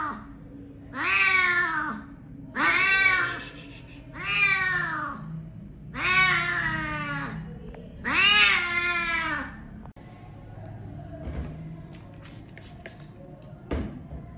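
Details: Vehicle-struck cat with a broken jaw and maggot-infested wounds, rescued from a roadside drain for clinic care. Five repeated mournful meows, evenly spaced, then a quieter stretch of faint handling noises and clicks.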